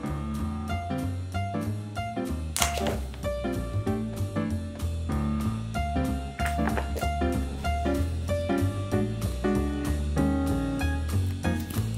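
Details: Upbeat jazz with piano, bass and drum kit playing a swinging rhythm; no animal sound is heard.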